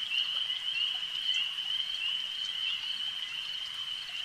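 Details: A lake's frog chorus: a thin, shimmering high trill sustained without a break, louder at the start and easing off slightly, with faint pops in the background.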